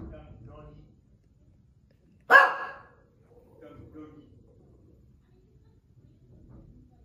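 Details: A Shih Tzu acting as a watchdog gives a single sharp, loud bark between stretches of a person's excited voice, after noticing workers outside removing an old wood deck.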